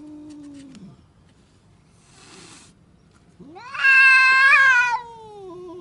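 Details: Angry domestic cat yowling: a low drawn-out wail sliding downward, a pause, then a rising strained howl that swells loud and harmonic-rich before easing into a lower moan.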